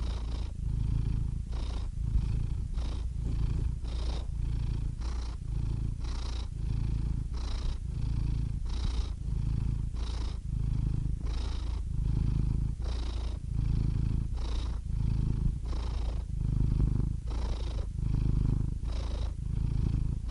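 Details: Steady, low rumbling purr from a cat, cycling evenly through about fifteen breathing phases, each marked by a light breathy hiss; the sound stays continuous with no other noises.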